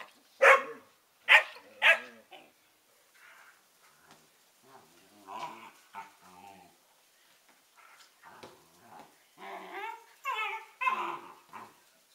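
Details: Two 11-week-old Collie puppies, Norris and Amica, 'talking': three sharp, high barks open, then a string of softer, varied grumbling and whining vocalizations rising and falling in pitch, growing louder near the end.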